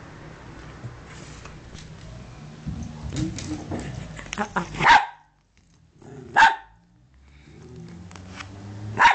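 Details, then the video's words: Two pet dogs, Bunny and little Cookie, play fighting at home: low scuffling and rumbling growls, then three sharp, loud barks spaced about two seconds apart, with brief silences between them. "funny dog fight!"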